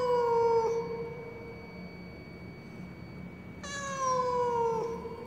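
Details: A domestic cat lost in the stairwell of a high-rise apartment building, crying mournfully. Two long, drawn-out meows, each sliding slowly downward and lasting about a second or more, separated by a pause of quiet hum.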